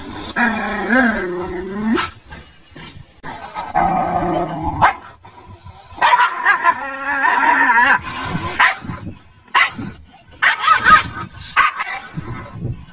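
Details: Dog, terrified by its own image in a mirror, barking uncontrollably: long wavering, whining, howl-like bursts mixed with short sharp barks, separated by brief pauses.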